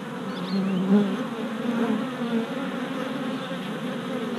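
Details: A crowd of worker honey bees orienting at their new hive in April 2017, captured on a GoPro Hero Session 5. Steady droning buzz with one bee passing loudly close at about one second, then an even hum.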